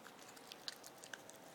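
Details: Gizmo, a Shih Tzu turning four years old, munches on a birthday rawhide treat indoors; crisp, irregular crunching clicks and gnawing snaps come in quick bursts over a quiet room background.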